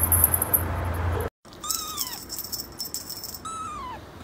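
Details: Young kitten giving two high, thin meows, each sliding downward, about two seconds apart, after a brief rattling noise and a short silent gap.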